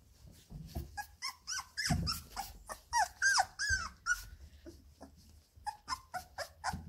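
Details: Labrador Retriever puppies, 17 days old, playing in the whelping box: rapid irregular squeaks, whines and soft grunts, some squeaks sliding downward, with brief pauses between clusters.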